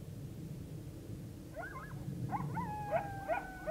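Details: Coyote chorus as the full moon rises on October 9, 2022: a low steady rumble for the first moment and a half, then several coyotes break in with quick, sharp yips and yelps that build into overlapping, drawn-out high howls.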